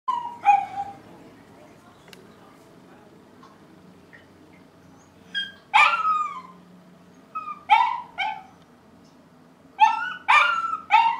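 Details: Barking dogs heard daily in the morning, recorded 5 September 2012: scattered sharp barks and yelps in irregular bursts, some in quick pairs and triplets, with quiet gaps between.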